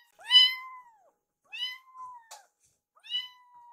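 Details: Two rescued foster kittens, Yuki and Piyo, meowing for food while staring at their caretaker indoors; three clear rising-then-falling meows about 1.5 seconds apart, each bright and harmonic-rich, with a faint click between the second and third.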